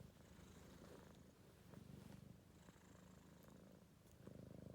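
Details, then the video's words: Four-month-old Maine Coon kitten asleep and tired after running around, snoring in soft, low, raspy breaths that rise and fall about every second, quiet room background. "Кот храпит"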